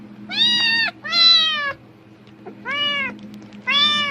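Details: Domestic cat meowing loudly in reaction to rustling plastic bags, apparently expecting food: four rich harmonic meows, each rising then falling, about half a second to under a second long, with a steady low hum behind.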